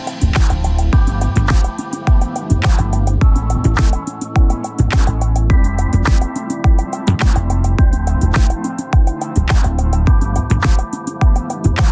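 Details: Upbeat electronic music with a steady drum-machine beat and sampled chops, and no animal voices anywhere.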